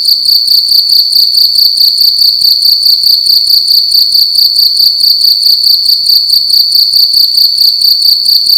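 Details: Night-time cricket inside a room, loudly producing a shrill high chirping buzz of rapid evenly spaced pulses, continuous from start to end, no other noises.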